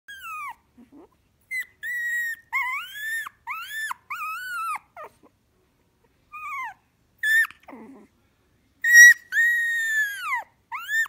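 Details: Shiba Inu, a pet dog, giving a string of clear tonal whines and yelps. Each note arches up and then falls. The calls come in short bursts separated by silent gaps, with one louder drawn-out cry near the end.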